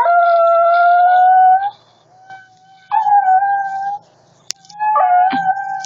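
A Shih Tzu howls long, steady, tuneful notes, 'singing' along with a flute.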